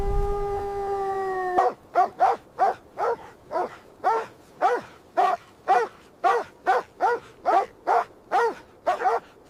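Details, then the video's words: Mother dog and puppies playing in fresh snow in winter; after a steady held whine-like tone, a rapid series of about sixteen short, punchy barks follows at a quick, fairly even rhythm, with no other sounds. "Beautiful puppies playing with mother dog on snowy ground – Dog barking sounds"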